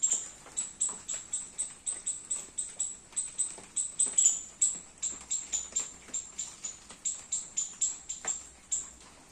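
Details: A squirrel in a garden, eating baby coconuts in the rain, calls with a long series of thin, piercing, clipped chirps, evenly spaced at roughly three per second, with no other clear sounds behind them.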